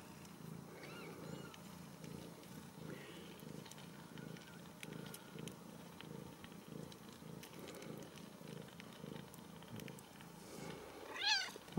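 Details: A steady, rhythmic low purr from Ragdoll kittens at a home cattery in central Kansas pulses almost twice a second, with faint clicks above and a single high mew breaking in at the very end.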